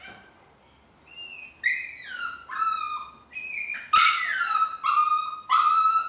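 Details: Pet Chihuahua crying in a string of loud, high whines, each sliding downward, about seven in six seconds and growing more insistent, with one sharp click partway through.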